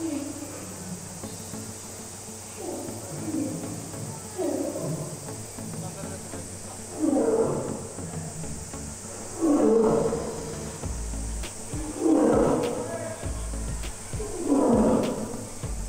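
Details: Lion at Tama Zoological Park in the evening, giving a series of grunting roars that grow louder and come about every two and a half seconds, over a steady high hum; people talk faintly.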